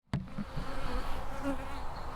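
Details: Wild honey bees at a natural hive inside a big old tree: a steady low hum of many bees, after a sharp knock at the start.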